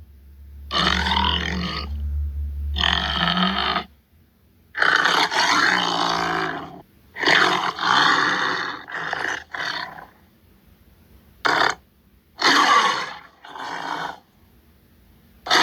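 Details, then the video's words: Tiger growls follow one another in rapid succession: gruff, raspy bursts of varying length, a few drawn out and several short, broken by brief pauses. "Som do tigre"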